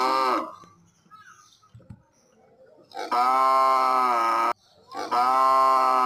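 A cow gives two long, loud moos, steady and harmonically rich, after a brief opening call.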